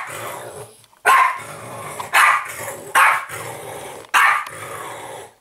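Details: A French Bulldog play-fighting with an interactive talking Yoda toy gives rough, throaty growls broken by sharp bark-like bursts about every second.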